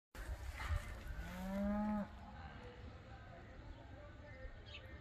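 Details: Beefmaster pinto cattle at a ranch in Moroleón give one long, low moo that rises at first, then holds steady for about a second and a half before cutting off sharply. A steady background hiss follows.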